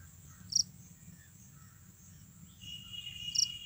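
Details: A Japanese burrowing cricket (Velarifictorus micado) gives a steady, high-pitched ringing call punctuated by brief sharp chirps.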